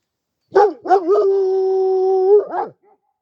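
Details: Kangal dog giving a short sharp bark, then a steady, drawn-out howl on one even pitch lasting about two seconds, closing with a brief falling yelp; quiet otherwise.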